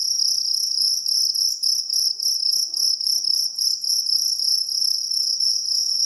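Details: Rapid pulsing trill of a jangkrik kalung cricket, piercing and high, pulses running together with slight dips in volume every second or so, faint scattered low clicks behind.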